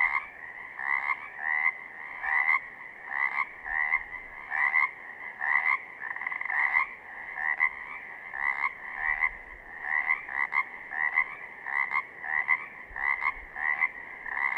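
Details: Southern Oregon Pacific chorus frogs in full chorus, a continuous run of buzzy, rattling two-syllable croaks repeating rapidly and overlapping, with the rhythm staying even throughout.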